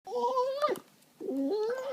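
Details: Two pet dogs, Cooper and Lexi, gnawing at each other while play fighting on a couch indoors; tonal, moaning vocal sounds in two bursts, the first wavering then dipping, the second rising, separated by a short quiet gap.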